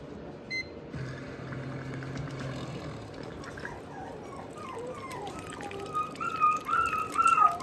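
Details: Shiba Inu puppies in a small room trying weaning food for the first time. Thin, wavering whines and whimpers bend up and down in quick succession, growing higher and louder toward the end over soft indoor background noise.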